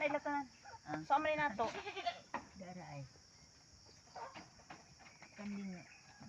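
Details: Pet goat under treatment for an injury in a rural setting; several wavering, nasal bleats, some with a trembling quaver, are scattered across the recording between people talking nearby.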